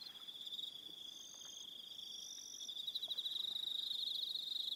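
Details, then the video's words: Crickets calling in the evening on Aroha Island, New Zealand: a continuous shrill trill joined by brief higher chirped bursts, the chorus growing louder and more pulsed toward the end. "1 Hour Relaxing Evening Sound of Crickets"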